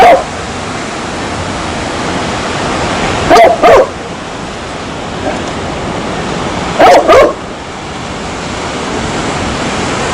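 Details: Barking dog: a clipped bark at the opening, then double barks twice, roughly three and a half seconds apart, set against continuous rushing noise.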